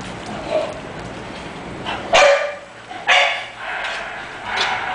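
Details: English Bulldog puppy offered for sale, giving three short, sharp barks near two, three and four and a half seconds, each a brief bright burst over a steady low background hum.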